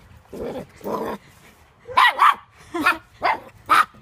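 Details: Puppy barks: two low, muffled woofs, then five sharper, higher barks in quick succession, some paired, over a faint background hum.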